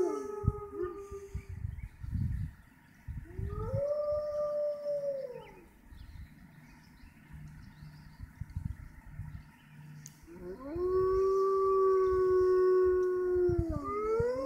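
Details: Wolves in an enclosure at the Toronto Zoo, Canada, howling near closing time: an arched rising-and-falling howl, a quieter gap with low background rumble, then a strong long steady howl joined by a second voice.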